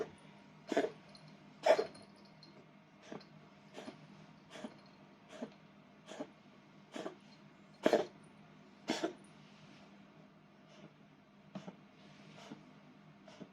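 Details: Bengal cat with a cold, kept indoors in a multi-cat home, coughing: about a dozen sharp, dry, explosive bursts at uneven intervals, some in quick pairs, over a faint steady indoor hum.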